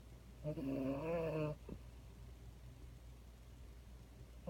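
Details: A French Bulldog, held in someone's arms, gives one wavering snore about a second long with a buzzy, fluttering tone. A brief soft snort follows, then quiet room hum.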